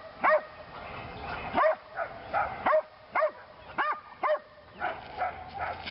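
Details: Female Belgian Malinois named Lily, second session of PSA leg-sleeve bite work; spaced single barks, loud and ringing, roughly one per second, with softer yelping sounds between them in a quiet background.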